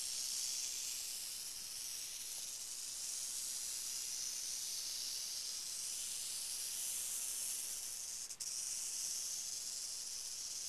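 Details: Northern Pacific rattlesnake, Crotalus oreganus: a steady, high, airy hiss held for the whole stretch with little change and only a brief dip near the end.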